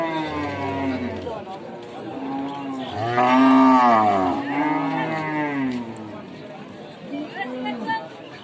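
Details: Cattle lowing in overlapping moos, a loud arched bellow peaking mid-clip among softer moos before and after, suggesting several cows calling together, with faint chatter in the background.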